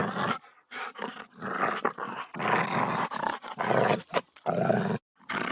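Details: Aggressive dog snarling: quick, irregular growls, some clipped and some drawn out for over a second, harsh and throaty, with a pause near the end before a final rumble.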